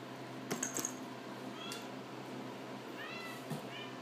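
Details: Orphaned male Siamese kitten giving several thin, high rising-falling mews in a small room, a soft squeak near the start, then a run of short mews in close succession toward the end over a steady low hum.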